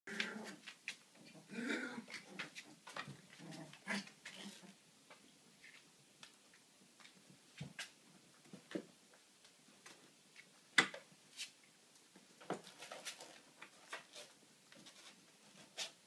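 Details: Siberian husky pups whimper, giving soft whines and yips in an enclosed space, mixed with scattered clicks and knocks.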